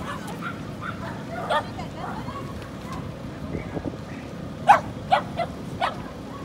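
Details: Young female Corgi filmed at Inage in Chiba, Japan, on 23 February 2019; faint yips early, then a quick burst of four loud, clipped high barks near the end over low steady hum.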